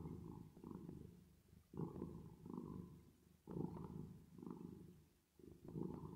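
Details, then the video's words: Domestic cat purring while resting or sleeping, with added reverb: low, rumbling throbs in long swells, each lasting about a second before a brief dip, repeating steadily like slow breathing. "10 Minutes Of Cat Purring Sound With Reverb Effect"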